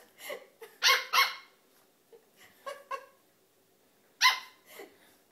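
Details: Dogs at play, a King Charles Spaniel puppy taking on an adult Welsh Springer Spaniel: sharp, harmonic barks in uneven bursts, a loud double bark near the start and another strong bark later, with softer yips between.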